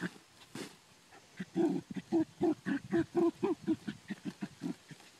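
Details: Ammo the Dachshund hunting for groundhogs on the farm, giving a rapid run of short, grunting barks about four per second, growing louder after a quiet start and then easing off toward the end.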